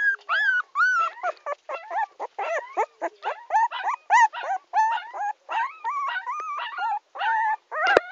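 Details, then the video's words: Crying puppy named Tommy producing a steady, nearly unbroken series of high, wavering whines and yelps, several rising and dipping, pulsing roughly twice per second. "baby dog crying my tommy"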